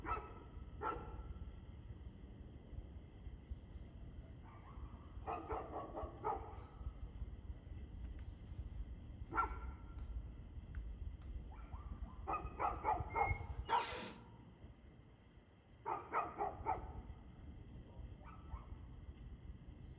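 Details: Dog barking on 2 June 2024 at 6:02 pm, recorded in the evening: short harmonic barks in uneven bursts of two to four throughout, with a brief harsh louder burst near the end and steady low background rumble.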